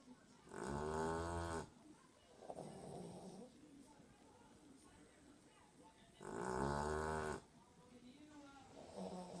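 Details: A dozing dog gives two loud, rasping snores about five seconds apart, with softer wheezy breaths in between over a low background hiss.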